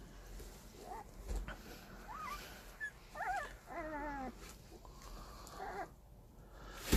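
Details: Puppies seventeen days old give a run of thin, high whimpers and squeaks, some wavering and some sliding down in pitch, several in quick succession over a low background hum, with a woman speaking softly nearby.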